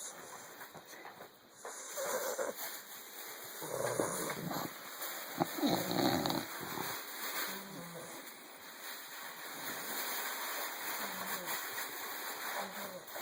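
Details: Sleeping Bulldog puppy snores with a steady run of raspy, wheezy breaths, loudest around the middle, then a long stretch of gentler rhythmic snuffling over a constant faint hiss.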